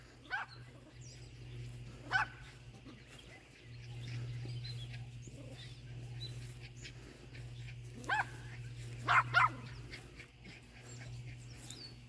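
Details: Yorkie Iris confronting a groundhog: a few spaced, high, sharp barks early, then a rapid double bark near the end, all over a constant low droning hum outdoors.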